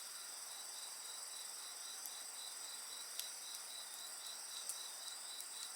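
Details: Insect voices mixed with bonfire sounds: a constant high shrill trilling and a pulsed chirp around four per second, broken by several sharp crackles and pops of burning wood.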